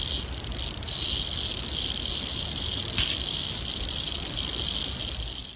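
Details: A Queensland rattlesnake tarantula from Australia rubs its fangs together as a warning before attacking, giving a long, even, high hissing rasp that starts softer, steadies, and fades at the very end.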